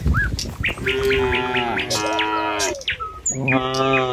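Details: Morning herd of tame cattle heading along a village road to the pen gives a sustained, slightly wavering moo, then a second lower one, while small birds tweet and chirp.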